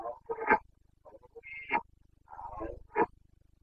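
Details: Carpathian stag roaring in the rut in Bucovina, breeding season 2022, called boncănit locally: rough groaning bellows broken into uneven pulses with sharper loud peaks, four main bursts in a few seconds.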